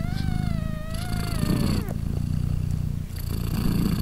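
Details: Three-day-old British Shorthair kitten gives a drawn-out wavering meow that slides downward, then the mother cat's deep low purr continues in steady pulses while her three newborn kittens nurse.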